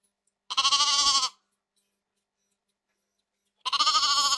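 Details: Sheep from a flock in the countryside bleating: two loud, quavering, nasal bleats about three seconds apart, each under a second long, with silence between.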